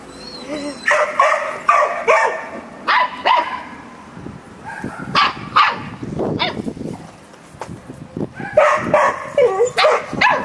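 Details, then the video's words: Samoyed puppy 'chatting' with a Labrador: bursts of high, whiny, wavering yips and yowls with short pauses between, like a back-and-forth conversation, some louder rising and falling howl-like calls. "Samoyed puppy chatting with labrador"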